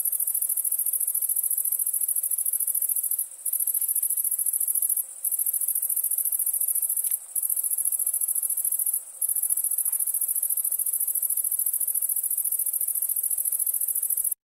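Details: Chirping crickets at nighttime keep up a shrill, continuous high-pitched trill, broken by four brief silences spaced a couple of seconds apart, then steady to the end.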